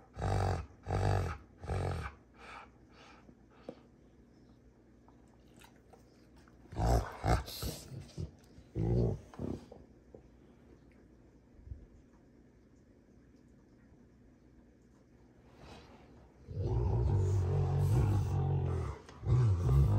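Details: Play fight between Rottweilers June and Kenai at a ranch: clusters of short gruff growls and snorts open the scene, a quiet stretch with faint shuffling follows, then a long, steady low growl builds near the end.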